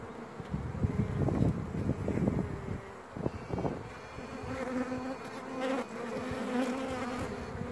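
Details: Piping of a virgin honey bee queen: after loud, irregular low buzzing from worker bees, a steady, drawn-out harmonic toot emerges over the colony hum and is held for several seconds.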